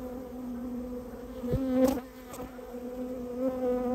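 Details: Japanese honey bee colony being removed after nesting inside a storehouse; a steady, low droning buzz with layered overtones holds throughout, broken by a few sharp clicks and knocks near the middle.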